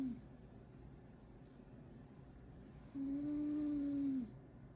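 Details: Momo the cat snores in sleep. After a quiet stretch comes one long, even, droning hum lasting over a second with a soft higher overtone, then it cuts off and the quiet returns.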